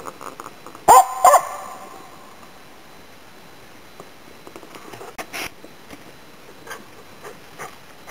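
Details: Finnish Spitz Nella, used for hunting waterfowl and game birds in Inari, Finland, in autumn 2010, gives two quick, reverberating barks early on, followed by a long quiet stretch with faint distant noises.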